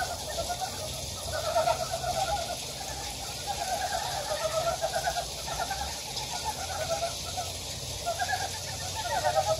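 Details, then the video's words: Wild frogs in a valley on Gyejoksan, Daejeon's Daedeok-gu, South Korea: clear rattling, pulsed croaks at mid pitch come in bursts every second or so from several callers, over a continuous hiss. "대전 대덕구 계족산 계곡에 자연의 개구리 울음소리"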